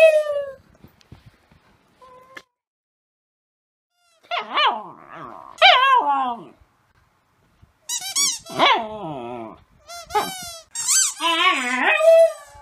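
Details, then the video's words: Rescue dog being dog-sat indoors, howling like a wolf while playing with a squeaky toy; short wavering, falling yowls in bursts separated by pauses, mixed with high squeaks. "WHY DOES LUCY HOWL LIKE A WOLF???"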